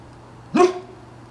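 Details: Single short bark from an 11-month-old Bernese Mountain Dog, a sharp burst with a rising tonal onset, recorded indoors over a steady low hum.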